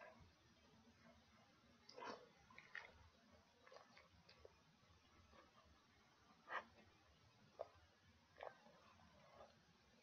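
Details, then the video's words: Dog chewing pig ears, recorded up close indoors: soft, wet clicks and crunches scattered irregularly over a quiet background, with a few louder bites around two and six seconds. "Dog Chewing Pig Ears"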